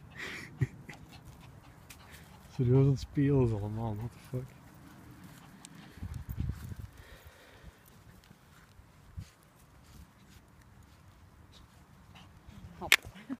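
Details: An 8-week-old female Staffordshire Bull Terrier puppy playing with a Shih Tzu gives a brief burst of rising, wavering yelps and whines.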